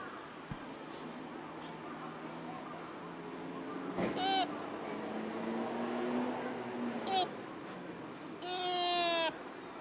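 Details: A sika deer in Nara Park gives high, piercing whistled squeals during the October 2017 rut, with a murmur of voices behind.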